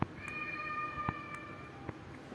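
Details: A kitten gives one long, drawn-out meow held at a flat, steady pitch for over a second and a half, with a few soft knocks and taps in the room around it.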